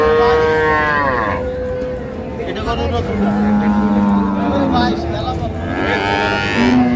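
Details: Improved-breed dairy cows and calves at Ambari cattle market in Dinajpur, 9/3/25: several long, harmonic-rich moos, one high and steady then bending down, others lower and wavering, overlapping men's bargaining voices and crowd bustle.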